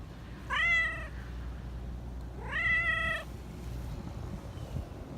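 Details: Talkative black Persian park cat in Japan calling in a sweet, coaxing voice: two long, clear meows about two seconds apart, each sliding upward and holding, with low outdoor rumble beneath.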